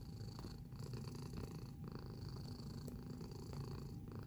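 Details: Domestic cat purring in close-up, a low continuous rumbling throb with steady rhythmic pulses, quiet and even throughout, with a faint steady high hum in the background.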